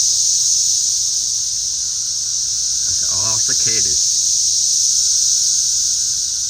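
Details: Crowd of cicadas flying about, their loud continuous shrill buzz running throughout, with a man's brief spoken words around the middle.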